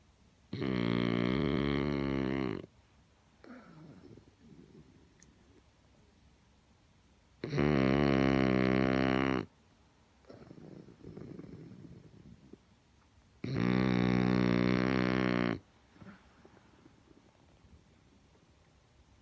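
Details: A huge French Bulldog snores loudly: three long, rasping, buzzy snores of about two seconds each, roughly six seconds apart, with soft breathy exhales between them.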